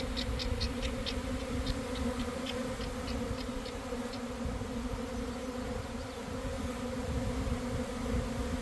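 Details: Inside a developing honey bee swarm pouring from a hive at about 1 pm, on a warm day after a cold, damp week: a continuous, even, low drone of countless wings, with faint ticking sounds early on and no voices.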